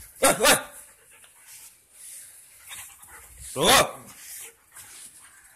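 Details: Five-month-old male double-coated German Shepherd, playful and friendly, settling into a new home; two short sharp barks near the start and another pair later, with a person's voice and quiet room sounds between.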